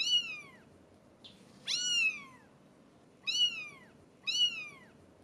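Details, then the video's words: Four thin, high meows from 17-day-old British Shorthair kittens, each rising briefly and then falling, spaced one to two seconds apart over a quiet background. "British Shorthair Kittens Meowing so Cute!"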